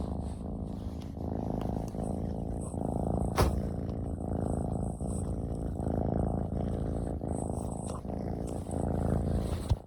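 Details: Affectionate male ragdoll kitten, born June 2022, purring at home indoors; a continuous, even low rumble pulsing in quick regular cycles for the whole stretch, with faint clicks and a sharp knock near the middle.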